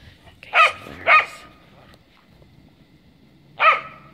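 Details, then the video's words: Cardigan Welsh Corgi frapping and playing in the snow; two sharp, loud barks in quick succession, a pause of about two seconds, then a third bark, with quiet background otherwise. "Cardigan Welsh Corgi frapping on the snow."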